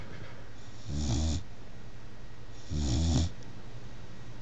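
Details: Bullmastiff puppy, a little over three months old, sleeping soundly on a chair, snoring in two slow, even low rumbling breaths about 1.7 seconds apart, each with a breathy hiss on top, in a quiet room.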